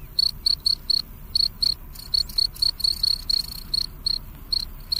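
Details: Night-time cricket song from Indonesia, a steady series of sharp, high, ringing chirps repeated roughly every quarter second, a few gaps breaking the rhythm, quiet background murmur beneath.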